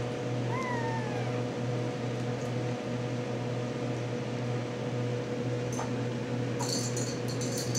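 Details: Ten-week-old RagaMuffin kitten indoors: one short, thin meow that slides downward, lasting under a second near the start, over a steady low electrical hum, with brief rustling and clicking toward the end.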